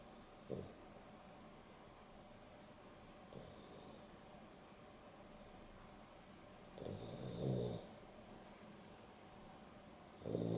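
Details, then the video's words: Boston Terrier and Beagle mix, Dexter and Rio, asleep at home during an afternoon nap; soft, irregular snoring breaths, some with a raspy snort, spaced a few seconds apart over a steady low room hum. "30 min Dog Nap!! Boston Terrier and Beagle X (Dexter and Rio) snoring"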